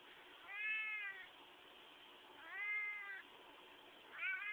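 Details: Qitah the cat making noises when squeezed: three long, arched harmonic meows, each close to a second, spaced about two seconds apart, over a steady hiss.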